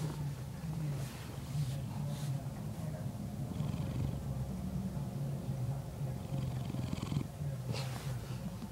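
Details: Sleeping male house cat snoring: a deep, continuous low rumble that rises and falls with each slow breath, and light rustles between breaths.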